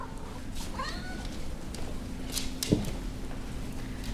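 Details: Abyssinian cat meowing indoors while wanting treats: a short rising meow with sweeping harmonics, then quieter mewing, over a steady electrical hum and a woman coaxing him to say please.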